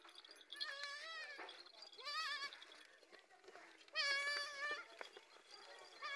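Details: Goat bleating, with a mother recognising her young by smell: quavering nasal bleats near one second, around two and a half seconds and a longer loud one at four seconds, over steady background hiss.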